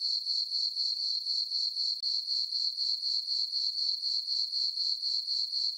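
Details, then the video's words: Crickets calling on a calm summer night in a farm meadow beneath a full moon: a piercing, even chirping that pulses about four times a second, with a short dip at two seconds and no other sounds. "Cricket chirping sounds for sleeping"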